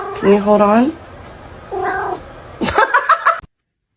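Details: Cat from a funny cat compilation with a wavering, whiny meow, then a shorter second one, followed by a burst of sharp, choppy sounds that may be people talking or laughing.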